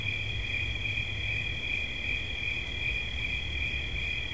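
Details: Unbroken shrill cricket trill, a pair of high ringing tones pulsing slightly and never stopping, with soft low background noise.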